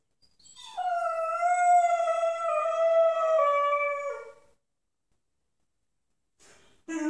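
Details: Moose, a 10-month-old pit bull puppy, howls unhappily indoors: one long, steady, rich-toned howl lasting about four seconds that sags slightly at the end, then a pause and the start of another cry.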